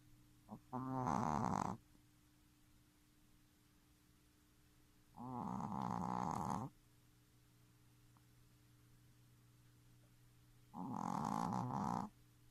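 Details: Futa, a three-month-old Shih Tzu puppy, snoring loudly for its age: three rough, buzzy snores, each lasting about a second and a half, spaced roughly five seconds apart, with a low steady hum in the quiet room between them.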